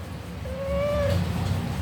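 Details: Mufasa, a pet cat, answering in a back-and-forth conversation: one drawn-out meow, fairly level in pitch, lasting under a second, over a low steady hum.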